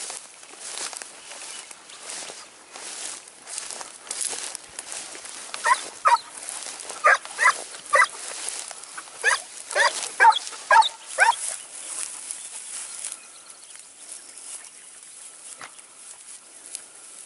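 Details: Segugio Italiano hound Sofiko in Evros, Greece, near Lagos, 29 May 2019: a run of loud, ringing barks every half second to second in the middle, amid rustling and outdoor hiss, fading to quiet at the end.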